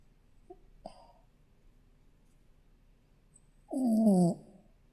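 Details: A sleeping Shih Tzu puppy lets out one harsh, buzzy snore lasting about half a second, dropping slightly in pitch, after a quiet stretch with a couple of faint clicks.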